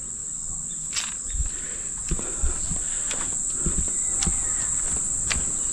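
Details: Crickets on an evening walk by the Manning River in Taree, Australia, a very peaceful scene; a steady thin high ringing trill holds throughout while footsteps crunch and sharp clicks sound.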